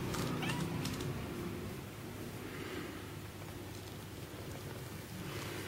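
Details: Mii-chan, a domestic cat, once an abandoned, starving stray and kept for about ten years, who understands many words such as 'gyu' for milk, gives a short low harmonic vocal in the first second, then only quiet indoor hum.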